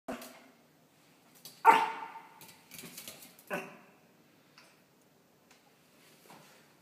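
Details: Banjo, a male Pomeranian, barking indoors at a plush toy dog: a few sharp, high barks spaced by short pauses, the loudest near the second mark, followed by brief Spanish speech.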